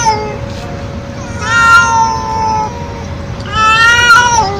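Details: Stray feral cat meowing loudly: two long, drawn-out harmonic meows, the second rising then falling, over a steady low hum and background noise.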